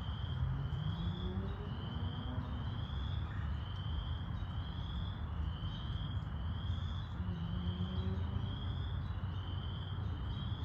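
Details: Chorus frogs in Wentworth Woods in May 2021 give short, rising, creaky trills, repeated about once a second, over a steady low rumble.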